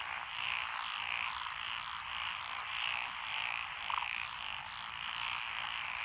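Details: A chorus of frogs from lotus rice fields by a country lane in Echizen, Fukui Prefecture, June 12, 2021. Steady high trilling croaks blend into a wall of sound, and one brief louder croak stands out near the end.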